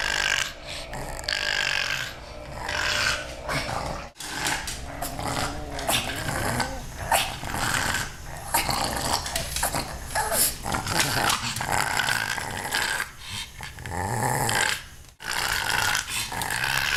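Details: Pug, a pet dog indoors, wanting to play with kittens, makes a run of throaty growls, snorts and grumbling noises almost without pause, with brief quiet gaps.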